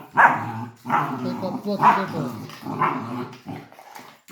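A Labrador puppy gives short, rough, yappy barks in a loose series, with a voice nearby.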